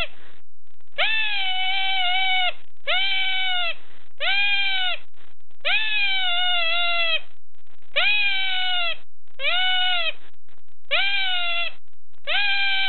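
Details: A small unidentified creature at a zoo near Kampot, Cambodia, which had been screaming for about ten minutes. Nine steady, nasal, harmonic wails last about a second each, repeated roughly every one and a half seconds with short gaps.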